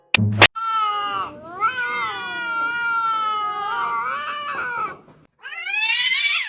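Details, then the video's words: Kitten crying in a long, wavering, harmonic wail that lasts several seconds with slight rises and dips, then a short pause and a second higher, falling cry, with faint music underneath. "kitten meowing crying"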